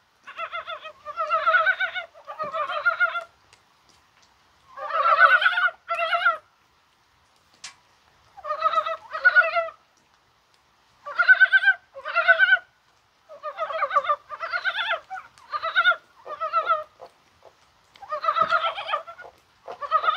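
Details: On a rainy, spring-like January 21, a chorus of Korean mountain frogs, probably spawning. Repeated pulsed clucking bursts come in pairs and triplets across twenty seconds, with brief quiet spells and one faint sharp click.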